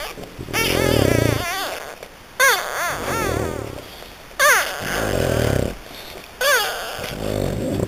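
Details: A litter of French Bulldog puppies from Hungary gives bursts of thin, wobbling whimpers about every two seconds, each a quick up-and-down whine, with a lower muffled sound underneath at the start.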